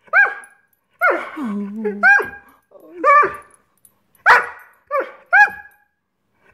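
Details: Greyhound named Scott Free throwing a tantrum, frustrated that dinner hasn't been served: short bent yelping barks and whiny yips in irregular bursts, with one longer low moaning whine early on, indoors.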